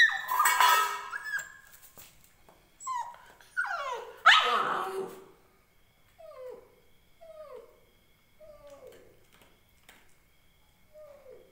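An Indian Spitz puppy gives a few sharp yelps, then a string of thin, falling whimpers.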